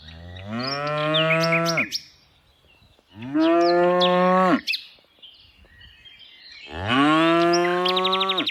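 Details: Three long moos from tame cows herded in the afternoon, spaced roughly every three seconds, each rising into a steady low drone and then dropping off, with light bird chirps in the background.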